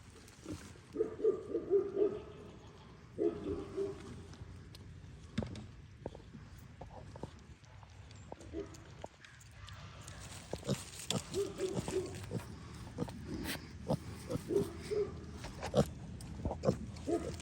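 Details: Kunekune piglets, almost ready to be weaned, eating breakfast on a farm; a litter of eight. Short nasal grunts and squeaky bursts come in clusters between clicks and chewing sounds, with quiet gaps in between.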